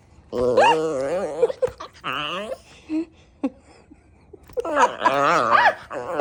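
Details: Klee Kai turning feisty at sundown, heard in a small room: a series of warbling, yodel-like howls, the first long and wobbling, then shorter broken calls and brief yips, before a final rising, wavering outburst.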